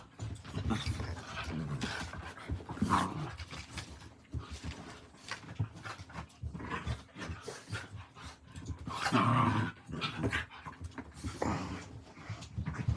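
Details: Two dogs, one seven and one five months old, play-fighting indoors at about 11:40 at night while one, Rocky, bites the other; rough, noisy growls and panting in irregular bursts, with scuffling throughout.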